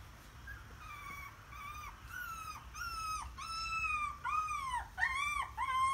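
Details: Several puppies cry with drawn-out, arching whines, pitch dipping at the end of each, calls coming closer together and louder toward the close.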